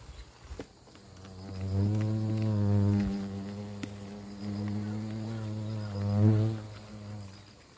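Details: Hornet near a huge nest hanging in a garden cherry tree at a country house, during nest removal; a low droning buzz with layered overtones swells and fades over several seconds, rising briefly in pitch near the end.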